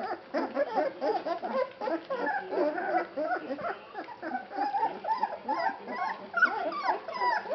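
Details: Basset Hound puppies, three weeks old, litter from September 2011 at a Polish kennel, clamoring at feeding time; continuous overlapping whimpers and wavering squeals from several pups, unbroken throughout.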